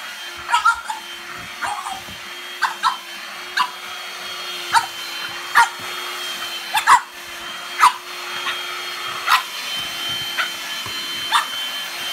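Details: A French Bulldog puppy gives short, sharp, high barks about once a second at a droning handheld vacuum cleaner.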